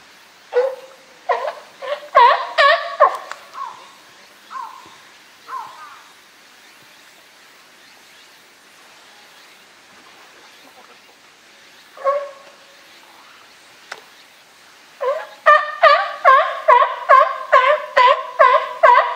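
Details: Captive California sea lion group at Higashiyama Zoo and Botanical Garden, 12 September 2023, led by boss male Felix; a burst of harmonic barks, scattered single honks with a long quiet gap, then a rapid regular run of about ten barks.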